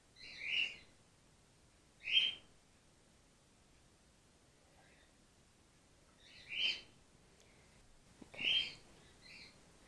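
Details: Female grey-headed flying-fox pup Gwickle, support fed by bottle in care after her mother lost her milk; four piercing, harmonic-rich squeaks, two early and two late, separated by a quiet gap of several seconds.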